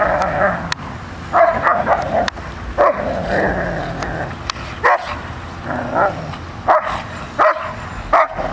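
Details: Airedale Terrier Rocco and Labrador Molly bark back and forth, short harsh barks arriving in uneven clusters roughly every second, some doubled, over a faint constant background rumble.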